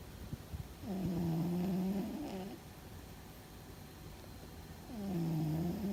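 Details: Loud snoring from Fuzzy, a pet cat sleeping and perhaps dreaming: one low humming snore lasting about a second and a half, a quiet pause, then the start of another, with faint clicks before the first.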